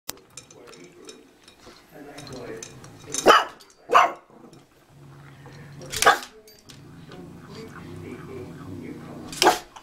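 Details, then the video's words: Pug dog giving a few sharp, loud barks spread through the clip, around the third, fourth, sixth and ninth-to-tenth seconds, with quieter low grumbling and background speech between them. "Bully Pug"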